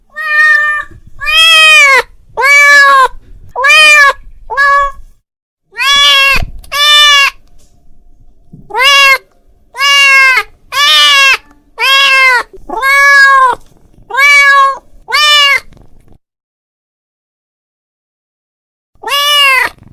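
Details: Domestic cat calling out to its friend: a rapid string of insistent, harmonic meows, bursts of several calls close together, then a silent gap before one last meow.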